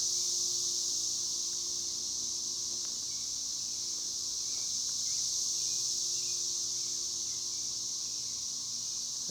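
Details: Masses of newly emerged cicadas fill the air with a continuous, piercing high whine, gently pulsing around four times a second, plus a few faint clicks and a low background hum.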